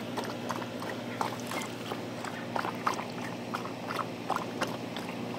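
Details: Thirsty dog drinking in hot weather: quick, irregular wet lapping clicks, roughly three a second, over a steady low background hum.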